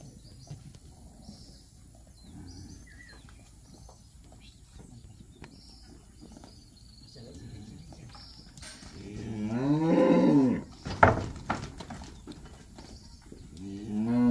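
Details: Calves in Campeche, 20 August 2022: after a quiet stretch with faint rustling, one loud, deep moo at about nine to eleven seconds, wavering in pitch and rich in harmonics, then a short break and another low call starting at the end.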